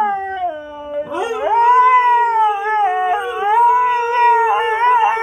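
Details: Siberian Huskies talking to each other: a low moaning note climbs sharply into loud, sustained, undulating howls, two voices overlapping and rising and falling together in a whining, conversational exchange.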